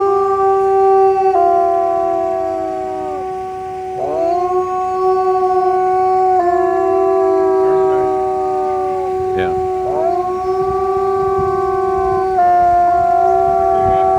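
Wolves howl in long, mellow overlapping tones, some voices holding steady while others slide up and fall away.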